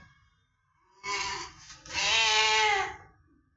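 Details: A house cat, praised as a good boy, makes two meows in a row: a short one, then a longer, louder, steady one. A person talks to it in Bengali around the calls.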